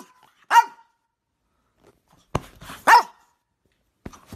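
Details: Playful French Bulldog puppies give two sharp, high yapping barks roughly two and a half seconds apart, with a brief click and a faint short yip between otherwise quiet gaps.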